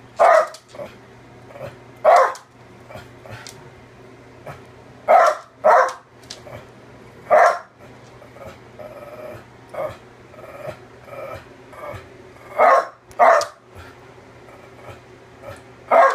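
A Cocker Spaniel gives short, rough growling bursts in uneven bouts, with a person's voice now and then.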